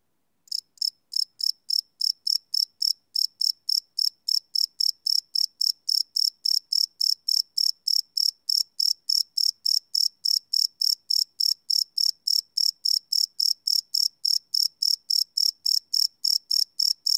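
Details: Night-time cricket chirping captured live with a Sony PCM D100 recorder; rapid, even high-pitched pulses begin after a brief pause and continue densely at about three per second.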